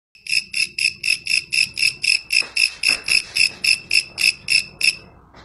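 A grasshopper gives a steady series of bright, ringing chirps, about four each second.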